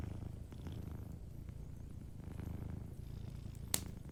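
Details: Gentle purring from a sleeping cat, a continuous low pulsing rumble, with faint fire crackle and one bright pop near the end.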